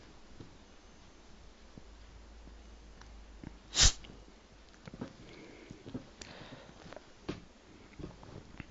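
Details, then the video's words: A pet cat lets out a single loud, explosive sneeze, an abrupt breathy burst just before the four-second point, then soft snuffles, light taps and faint indoor rustling. "Sneezing cat"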